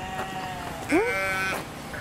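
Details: Lamb at a peasant farm that also keeps emus, many goat kids and lambs, being treated to fresh grass; one loud, wavering bleat with a quick rising start, held about half a second, followed by a shorter cry, with farm background noise.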